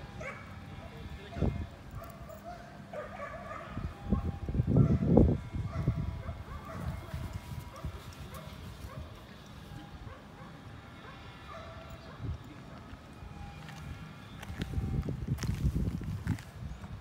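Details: Belgian Malinois in training at the 7th working dog competition in Hanoi, Vietnam, giving short bursts of barking midway and again near the end, over steady human talk and outdoor background noise.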